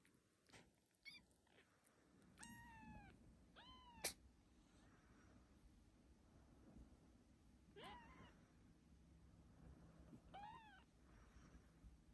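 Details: Kitten giving four high, thin meows spread across twelve seconds, each a short arching cry that rises then falls, with faint rustling and handling noise in between.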